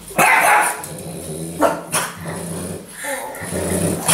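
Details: Apple the French Bulldog, with occasional help from Gus the one-eyed Chug, going after a broom being used for sweeping; a loud bark opens, then snarling growls and further sharp barks over broom scraping.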